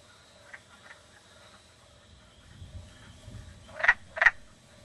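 A wood frog gives two quick, raspy, duck-like clucks after a few fainter notes.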